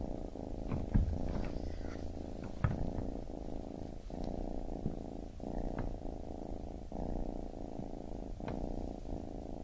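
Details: Baby kitten purring steadily, a low rumbling drone in long breaths separated by brief pauses, with a few soft clicks and faint rustles over the continuous vibration.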